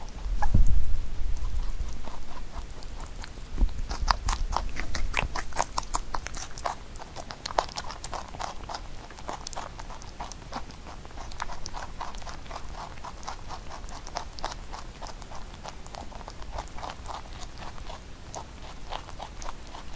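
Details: Pet rabbit munching Korean melon in a small room, rapid moist crunching and chewing clicks nearly three per second, with a few low thumps and louder bites in the first seconds before settling into steady chewing.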